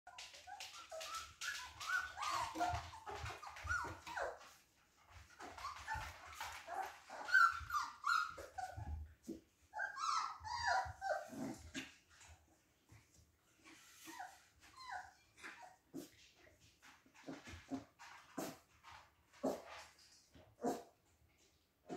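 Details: Siberian Husky puppies playing together; busy stream of high whimpers, squeaky yips and short growly barks overlapping, with pauses and scuffling.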